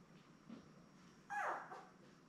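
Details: Newborn Labrador Retriever puppy with mother Belle and littermates, born May 24, 2021, watched on a live puppy cam; one clear falling whine after soft shuffling, then a fainter second squeak.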